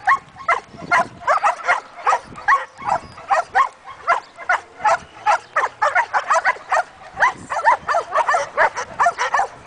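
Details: One-year-old Belgian Malinois named Cooper during guard and protection training: rapid, sharp barks repeated about twice a second in a steady, insistent volley, some with a rough, strained edge.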